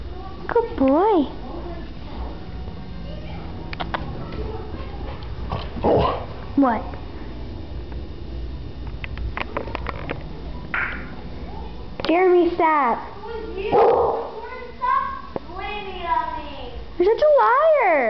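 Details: Max, a pet Keeshond, vocalizing indoors in a series of rising-and-falling, whine-like howling calls in short bursts, while a woman talks to him and coaxes him to say hi.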